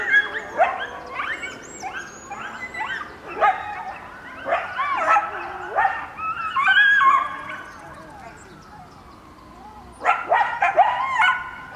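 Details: Members of a coyote family calling in response to sirens, giving bursts of sharp, broken yips and short yelping howls in rapid clusters, with a quieter pause before a final burst of yips.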